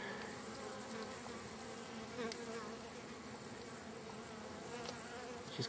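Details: Wild bee hive in a crack, both ends covered with wood plates: a dense, steady low hum of many bees with wavering tones, a thin high whine running throughout.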